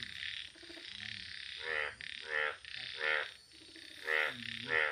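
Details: Yellow frog croaks in a steady series of short, nasal, harmonic bursts, roughly one every half second to second, over a constant high hissing chorus in the background.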